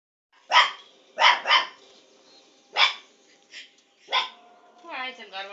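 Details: A two-month-old Lhasa Apso puppy barks at the television, a few sharp, high-pitched yaps followed by faint television voices.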